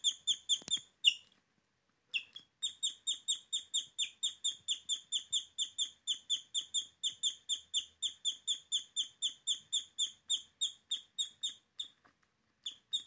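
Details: A guinea pig gives a fast run of high, squeaky chirps, several per second, much like birdsong. This is chirping, a rare guinea pig sound that many owners never hear.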